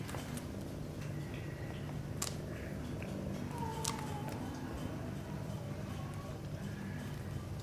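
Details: Sphynx mother cat and kittens at play in the nest: a continuous deep purr underlies a few faint, thin high mews, with sharp clicks and rustling from the playing kittens.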